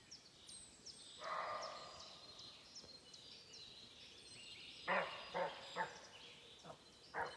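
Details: Sambar deer (Rusa unicolor) give loud, harsh, honking cries in short bursts in the forest, with small birds chirping in the background.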